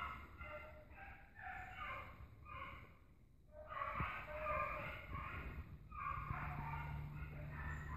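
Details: A pack of dogs chasing an agouti during a hunt, giving tonal, harmonic bays in short bursts about every half second, with a louder run of overlapping voices midway and steady low rumble beneath.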